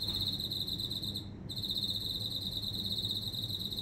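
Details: Loud insect singing among indoor plants: a shrill, even, pulsed trill running almost without break, one brief pause, with a steady low hum behind.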